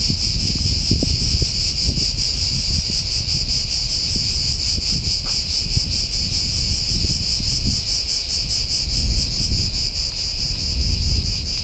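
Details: A deafening cicada song fills the pine forest of San Sostene (CZ), Italy. The high, continuous buzz throbs rapidly over a constant low rumble, like wind.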